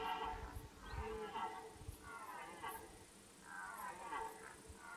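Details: At the start of the rut, a red deer stag gives hoarse, harmonic rutting roars, repeated in drawn-out bursts.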